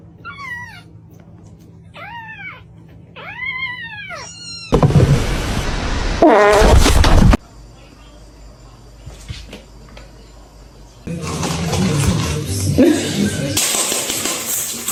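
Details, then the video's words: Kitten crying: three separate high meows, each rising then falling in an arched shape, spaced about a second apart, then a loud jump to other scenes with speech, music and rumbling noise. "kitten meowing crying"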